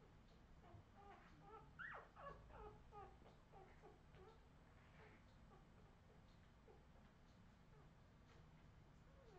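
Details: Whimpering Australian Terrier puppies, 2018 litter: a burst of thin, squealing cries and quick repeated squeaks early on, fading to softer scattered whines over a constant low background hum.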